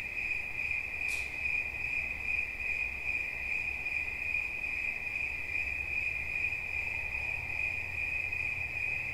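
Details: Cricket trilling steadily throughout, a continuous high-pitched band with faint harmonics above and a softly pulsing texture; a brief click near the start and low rumbling background noise.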